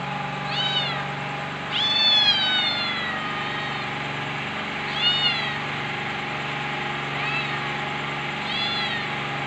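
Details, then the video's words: Cute kitten meowing repeatedly: thin, high-pitched calls that rise then slide down, the longest near two seconds in, with a steady droning hum underneath throughout. "Billi meiow meion | cute cat kitten meow sound | meowing"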